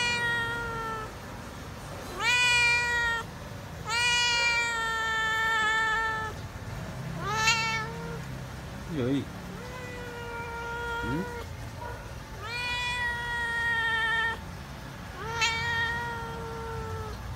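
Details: Feral cat calling while waiting for food, fearful of people: a run of loud, long harmonic meows, some rising sharply at the start, with a short human voice in between and low background hum.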